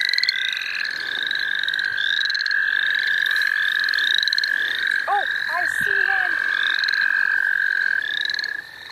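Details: Frog chorus in the St. Olaf College Natural Lands during frog catching. One unbroken high trill runs nearly eight seconds with rhythmic rising chirps layered above. A short human voice sounds midway, and the trill fades at the end.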